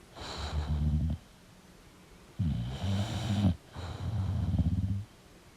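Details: Sleeping English bulldog snoring: low, rumbling, buzzy breaths with a raspy hiss, two long snores about a second each separated by a quiet pause, then a third.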